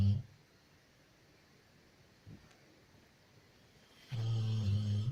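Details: Female Labrador Loya, asleep, gives a rattling low snore at the start, a faint breath midway, then a long, loud, vibrating snore over the final second.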